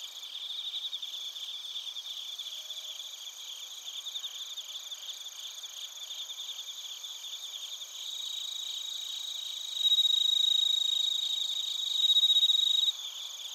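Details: Crickets, including bell crickets, chirping at Narita in Chiba Prefecture, Japan, captured with a TASCAM Portacapture X8; dense rapid pulsed chirps over constant high ringing, one caller growing louder with a clear bell-like tone near the end.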